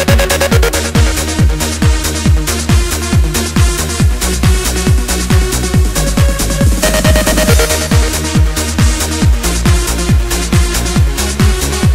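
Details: Loud electronic dance music with a steady, driving beat and heavy bass throughout, and no animal sounds.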